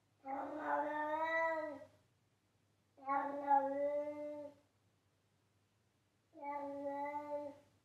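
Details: Domestic cat calling loudly: three rich, level meows of about one and a half seconds each, spaced roughly three seconds apart, with quiet gaps and a soft low background hum.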